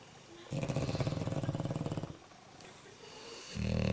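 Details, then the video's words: Two sleeping bulldogs snoring while another bulldog checks on them: a low, rattling snore of rapid even pulses lasting about one and a half seconds, then a quiet pause before the next loud snore begins. "Snoring Bulldogs"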